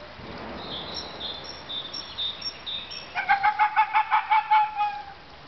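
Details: Captive Arctic fox at Brno Zoo: thin high whistly notes at first, then a quick run of about ten harsh, evenly spaced yapping barks over under two seconds, with steady background hiss.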